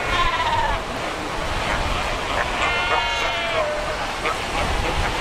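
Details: Cape fur seals at Cape Cross on the Skeleton Coast, a colony of more than 100,000: a few drawn-out harmonic bleats, one long wavering cry near the middle, over constant crashing surf.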